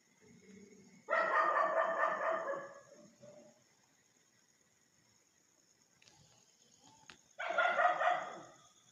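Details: Dogs barking loudly at a stranger on a street: a dense, harsh burst of barks lasting about two seconds, a long quiet gap, then another short burst of barking.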